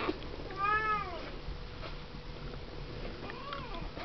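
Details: Siamese kittens aged seven weeks in their pen: one clear, rising-and-falling mew, then a fainter second mew after a pause, over a soft background hum.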